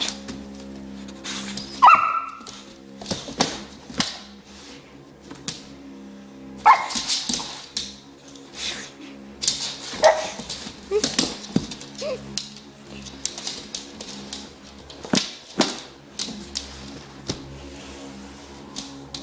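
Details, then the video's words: Pet dog indoors barking at a running foot massager. Sharp single barks come at intervals of several seconds, mixed with the machine's steady hum, short whimpers and a woman scolding the dog. "Dog Barking At Foot Massager."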